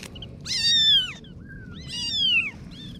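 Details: Kittens meowing: two clear high-pitched mews about a second long, each rising then falling with bright overtones, separated by a quiet pause and a softer short mew between them.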